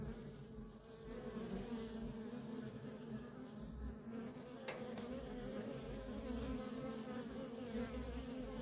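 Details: Continuous hum of worker honey bees coming and going at a feral colony, a thick layered drone with a faint brief click near the middle, otherwise unbroken insect buzzing.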